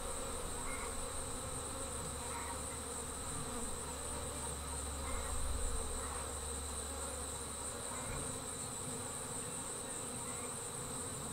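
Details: Honey bees swarming as they depart from their hive: a dense, low droning hum with rougher bursts, a steady thin high whine above, and brief faint chirps scattered through.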